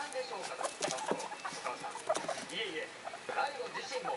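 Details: Pet guinea pigs, three young animals aged one to one and a half months, excitedly give quick clucking chuts and high rising squeaks, the little ones calling in high voices, over faint television sound.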